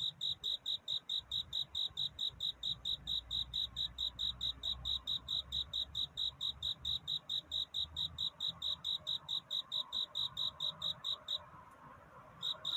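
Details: Cricket courtship song on a pre-dawn night, rapid regular high chirps about twice a second that break off briefly near the end, then resume, over a soft low background rumble.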